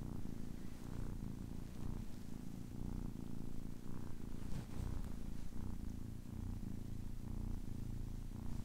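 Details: Quiet, even purring from a kitten ten weeks old, a deep vibrating drone pulsing with each breath, roughly once per second.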